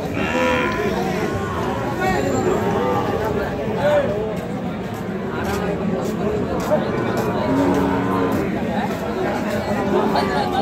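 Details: Sahiwal bull calves offered for sale at Ambari market in Dinajpur district on 24 November 2025, a market held on Fridays and Mondays; long harmonic moos rise out of steady crowd chatter and general market bustle.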